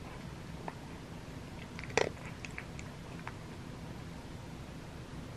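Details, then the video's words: Butters, a male pet cat, eating his crunchies indoors: scattered sharp crunching clicks with one loud crisp bite burst near the middle, over a quiet low room hum. "Cat Eats His Crunchies"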